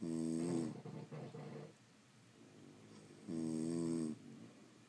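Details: Sleeping French Bulldogs indoors snoring: two loud, harmonic, rattling snores about three seconds apart, each lasting under a second, separated by quieter breathing.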